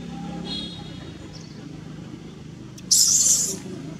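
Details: A wild baby monkey at Angkor Wat, Cambodia, angry that its mother will not give milk, clings to her back and gives a brief, shrill, noisy scream of distress over a low background rumble.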